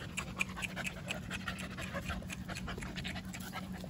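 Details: Jindo dogs, with the newly arrived puppy Songi meeting white-eyed Jindos Jaewang, Dongi, Daejeong and Bori for the first time; quick rhythmic breathy panting pulses run throughout over a steady low hum.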